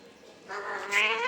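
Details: Angry domestic cat, upset and jealous while its owner settles another, gives a drawn-out harmonic yowl that swells and rises in pitch, with a woman's voice speaking Kannada around it.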